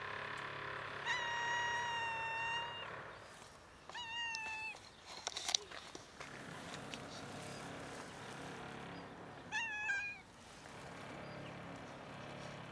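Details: Hungry cat outdoors in winter, wary of people and scared of the approaching person who has fed it several times before; three clear meows: a long steady two-second cry, a shorter one, then a brief wavering meow, over low steady background hiss.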